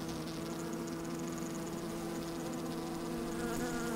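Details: Honey bees moving about inside an open hive, sunny windy day, microphone within: dense steady humming with sharp tonal bands, faint high ticking above.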